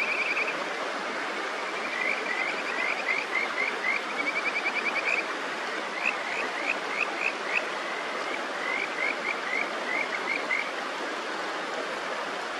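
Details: Kajika frogs on the upper Natori River near Sendai, Japan, give quick series of sweet, rising whistled notes over the steady rush of a clear stream, with birds singing.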